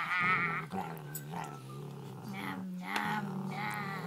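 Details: Dog 'talking', opening with a louder whining moan, then a stream of low grumbling, gently wavering tones broken by short pauses and a few sharp clicks.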